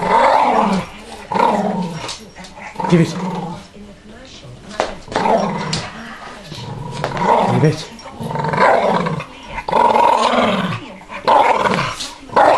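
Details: A male Staffordshire Bull Terrier play-growls in low, rumbling, uneven bursts while refusing to give up his ball, arguing with the owner's finger, as a person talks.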